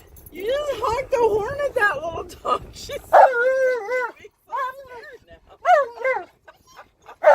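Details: In a car touring a park, the excited Alaskan Malamute Tonka howls in rising and falling, talking-like phrases, first under engine rumble, then in several short sharp bursts.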